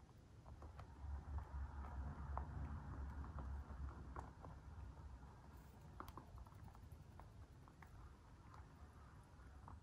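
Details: White dwarf mini lop bunny, free range, eating food: rapid crisp crunches and clicks, roughly four per second, scattered and uneven, over a steady low indoor hum.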